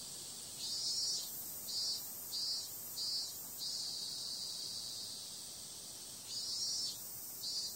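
A cicada's high, hissing drone swells into short buzzy bursts repeated about every half second.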